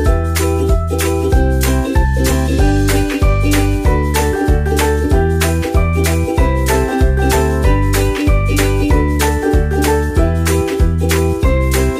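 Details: Loud jingly children's music with a steady bouncing beat fills the whole recording, without any animal sounds.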